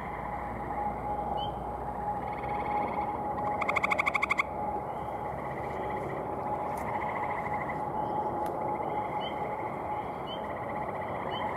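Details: Gray tree frog males at an evening pond in May 2018 give one loud, rapid pulsed trill lasting about half a second. It follows a fainter trill and sits over a continuous chorus of other frogs calling.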